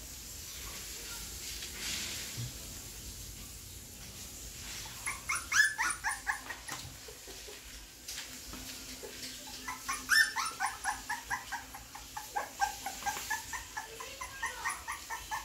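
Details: American Bully puppies: a quiet opening, then runs of short, high, whining yelps in quick bursts around five seconds and again from ten seconds to the end, each run a rapid string of thin cries.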